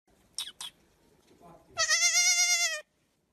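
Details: Baby goat shouting; after a couple of brief sharp noises, one loud, sustained, strongly harmonic bleat lasting about a second with a slight wavering tremble, then silence.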